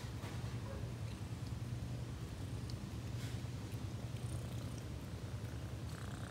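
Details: Close, deep purring from a house cat: a dense, buzzing rumble of quick pulses that holds steady throughout, with only light handling noise in the background.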